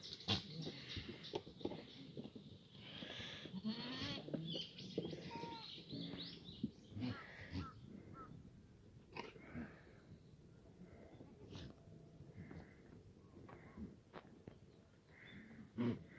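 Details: Free-range black goats on a farm at the foot of Muchuksan, Yeocha-ri, Sangdong-myeon, Gimhae, South Korea, on a sunny Tuesday morning, 11 June 2019; a few harmonic bleats mid-clip amid clatter, knocks and scattered background noise.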